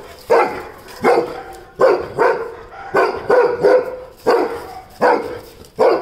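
A Weimaraner barks loudly in short, deep bursts, often in quick pairs.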